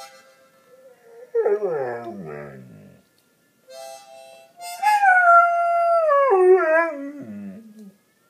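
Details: Pet Goldendoodle howling along to harmonica playing: wavering, sliding howls that drift downward in pitch, tangled with reedy harmonica chords, in two bursts separated by a short pause.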